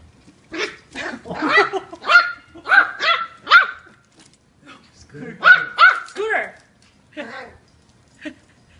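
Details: Eight-week-old Yorkie puppy Kiwi asserting herself against her new siblings during play-wrestling: shrill, clipped puppy yaps in rapid clusters, separated by short gaps, with a few softer trailing yips at the end.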